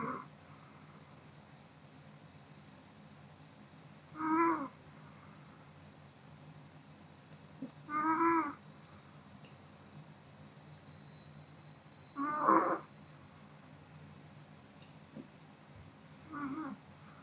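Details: After dinner the Pomeranian Kodama sleeps and snores, each breath a brief reedy, whistling burst repeating about every four seconds, four in all. The quiet room hiss between them holds a few faint clicks.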